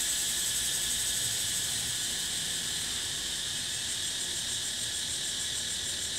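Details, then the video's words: Cicadas calling outdoors in a natural setting, a constant high-pitched electric whine that throbs in quick regular pulses without a break, over light low background rumble. "Cicada sound"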